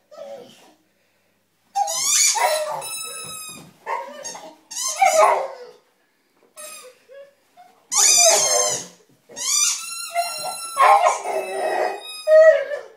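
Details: Oscar, a Staffordshire Bull Terrier–Rottweiler mix, crying at a toy: high, strained whines with rich overtones come in bursts of a second or two, some wavering and some sliding, with brief quiet gaps and a sharper squeal near the end.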